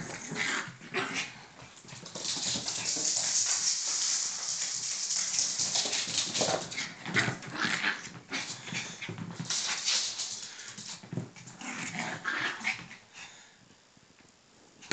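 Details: Yorkshire Terrier mother and one-year-old pup at play indoors, giving high, excited yips and whines packed in a near-continuous stretch, then easing into broken, breathy bursts toward the end.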